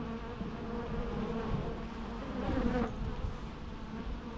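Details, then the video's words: Low steady drone of bees, with one insect passing close around the middle, its buzz briefly rising and wavering before the hum settles again. "natural bee sounds"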